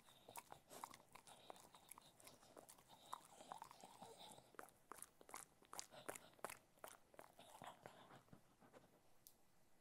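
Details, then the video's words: Cocker Spaniel eating food indoors, recorded close for ASMR: dense bursts of crisp crunching and biting, several per second, steady chewing rhythm throughout with no other sounds. "Cocker Spaniel Eating Food - Relaxing Dog ASMR Sounds"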